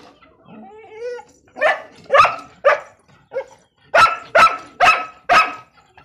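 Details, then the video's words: A Pakistani Bhagyari dog, described as a pointer-type guardian dog, gives a low whine and then sharp barks, single at first, then a fast run of four barks around four to five seconds. "Pakistani bhagyari dog//pointer dog top guardian dogs"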